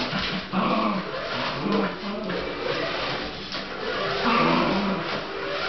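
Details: Fox Terrier named Russell chasing a radio-controlled SUV; a series of short, tonal whining and growling sounds rising and falling over steady broadband rumble.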